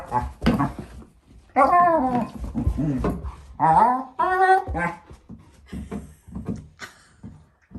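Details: Female German Shepherd puppy, four months old, playing with her bowl indoors; wavering whiny moans and grumbling vocal bursts alternate with quieter knocking sounds in a small room.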